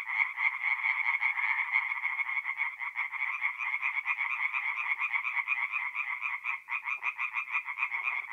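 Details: Chorus of singing tree frogs at night in a forest pond in mid-April, north-east Italy: dense overlapping rapid pulsed croaks forming a continuous rattling band, many frogs calling at once, with occasional lower croaks beneath.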